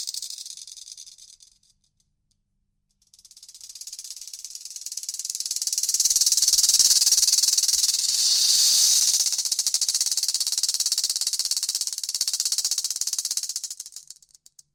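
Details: Rattlesnake rattling its tail to warn intruders: after a brief buzz and a short silence, a sustained high, sizzling rattle swells in loudness, holds steady for several seconds, then fades away.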